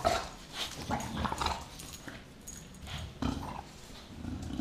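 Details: An 8-month-old American bulldog and a 6-year-old English bulldog grumble and growl in short, rough bursts while playing, with a few snorting huffs between them.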